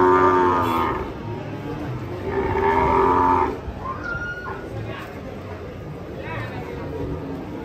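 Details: Sacrificial cow (sapi kurban) rampaging as it comes down off a truck: two loud, drawn-out harmonic moos, each about a second long, separated by a short pause, followed by quieter, noisy background commotion.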